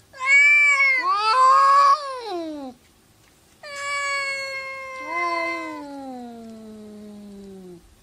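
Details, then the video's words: Cats arguing: a loud, bright yowl that bends upward and then drops, followed after a pause by a long, steady wail that slides lower over about four seconds. "Funny Cats Arguing"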